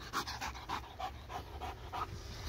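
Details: Dog at play with a laser pointer gives fast, hoarse panting puffs, about four per second, with a faint hum underneath.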